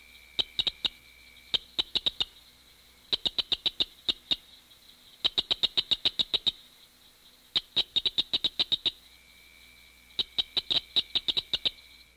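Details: A southern cricket frog (Acris gryllus dorsalis), the smallest species in a mixed frog chorus, gives rapid runs of sharp, high, metallic clicks, like pebbles tapped together.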